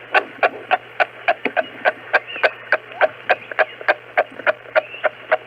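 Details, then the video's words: Kangaroos, animals of Australia, voice a run of evenly spaced clucking pulses, roughly three or four per second, each a brief harmonic burst, with a steady low hum underneath. "O som dos cangurus."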